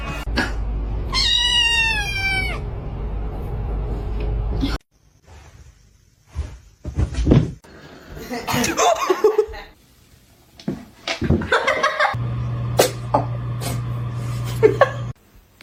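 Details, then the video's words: A house cat lets out a single clear, stepped, falling meow, followed by silence, then bumps, rustling and indistinct voices with a low steady hum. "cats meowing"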